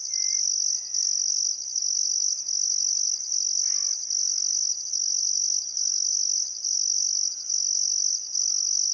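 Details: Summer sunset chorus of crickets beside the Barcoo River at Welford National Park, Queensland; an unbroken shrill trill beating in regular pulses, with brief faint bird notes scattered through.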